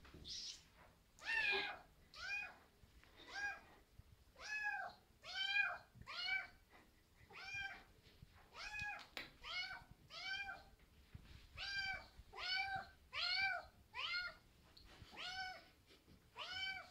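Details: Maine Coon kitten, indoors, calling insistently: a steady series of short, arched, harmonic meows, about fifteen in seventeen seconds, each rising then falling, with little else heard.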